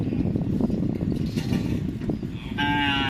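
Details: Cattle at a karapan sapi bull-racing training session at the Asemanis field in Pamekasan: steady crowd murmur and outdoor bustle, then a short, tonal, level moo rises above the noise in the last half second.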